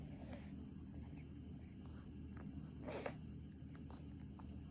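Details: Pet Pomeranian with a peculiar sneezing habit: a sharp, short, hissing sneeze burst near the three-second mark, a fainter puff at the start, over a steady low indoor hum.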